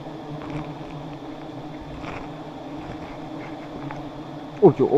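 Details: Steady, low, even drone of giant honey bees during the harvest of two high nests, with a brief burst of human voice at the very end.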